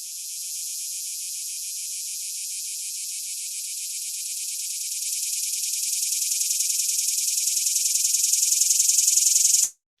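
A swamp cicada sings a high, dry buzz made of fast, even pulses. The drone holds steady, grows gradually louder over several seconds, then cuts off sharply.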